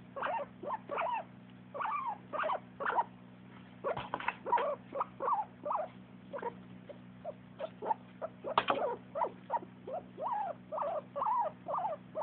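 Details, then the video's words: A dog named Jack-jack makes happy sounds: a long run of short whining yelps, each bending up and down in pitch, coming in quick bursts with brief pauses between them, against a low steady hum. "Jack-jack makes happy sounds."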